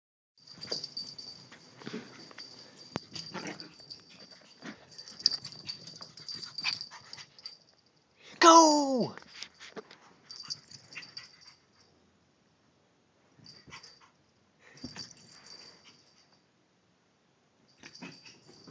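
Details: Wembley, a Yorkshire Terrier, dashes playfully around the house after coming back from the park, filmed on a Droid phone; one loud, falling yelping bark near the middle stands out over scrabbling paws, panting and household clatter.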